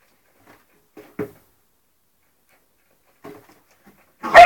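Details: Three-month-old English Springer Spaniel puppy playing with ferrets: a few faint, soft yips, then a short sharp bark and, after a pause, a louder abrupt bark cutting off the end, with quiet gaps between.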